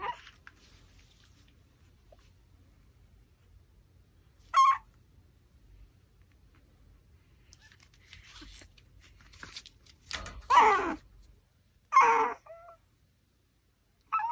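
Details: Pomeranian eating raw pork backbone indoors, giving a few short tonal whines near the middle and end, separated by long quiet stretches with soft chewing and rustling.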